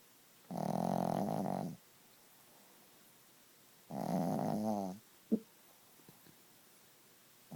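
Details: Sleeping Chihuahua snoring loudly indoors: two long, rasping, droning snores, each over a second long and about three seconds apart, followed by a few faint clicks in a quiet room.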